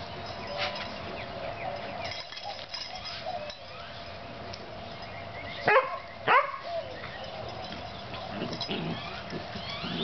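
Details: Oreo and Brutus, two playing puppies, give two sharp, quick yelps close together midway through, set against steady low background hiss and faint scuffling.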